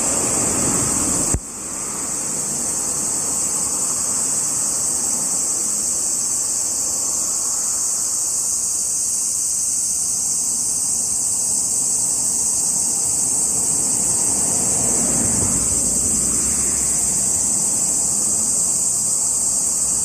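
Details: Cicadas recorded 17 July 2021 keep up a sustained high-pitched buzzing drone. A sharp click comes early on, then muted vehicle noise passes gently in the background.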